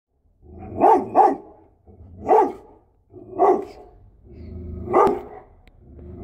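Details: Female Great Dane and Belgian Malinois mix, a family house dog and watchdog, giving deep loud barks: a quick double bark, then three single barks spaced about a second apart.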